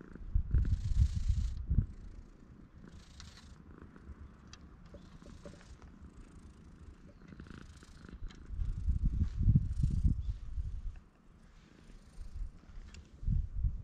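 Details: Stray cat at a private guesthouse on Tashirojima, Japan's Cat Island, sitting on a table bench and welcoming a visitor, filmed on a GoPro HERO8. A low rumbling purr swells in bursts, strongest at the start and near ten seconds, with soft breathy rustles.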